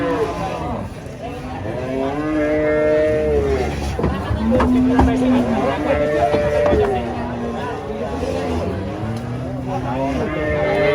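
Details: Huge female cow raging during loading under a tree. Several bellowing moos in quick succession, each swelling then falling, over continuous background noise and distant voices.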